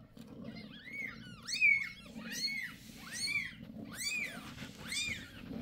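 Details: Newborn kittens of Bassy, a mother cat with five six-day-old kittens born January 6 indoors, give high arched mews roughly every second over a low steady purr.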